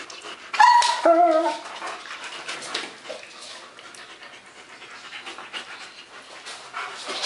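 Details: Two German Shepherds, Max and Ace, playing together on 14 September 2015; a short, high, wavering whine near the start, then scuffling, panting and rustling play noises for the rest.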